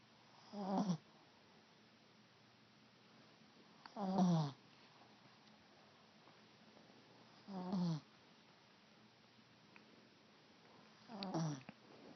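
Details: A pet cat snoozing indoors gives soft, raspy, low snores, one every three to four seconds, with four breaths heard against near silence.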